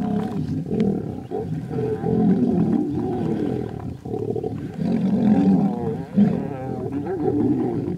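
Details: Fighting lion brothers: rough snarling roars come in surges separated by short lulls near one, four and six seconds, deep and gravelly throughout.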